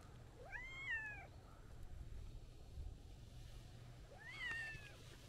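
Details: A friendly white-and-orange street cat walking up while meowing and seeking affection, roadside by shrubbery: two clear arching meows, one near the start and one near the end, each rising then falling, over low traffic rumble.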